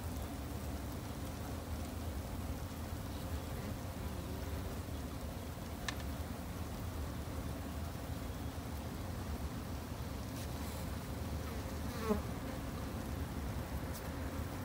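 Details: Japanese honey bees kept at a backyard hive by a beginner beekeeper for conservation: a steady, low droning hum fills the whole stretch, with faint background rumble and a few brief clicks.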